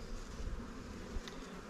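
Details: Continuous low, dense buzzing of honey bees around a new swarm hive in a beekeeper's apiary, a brief steady drone with a faint click near the end.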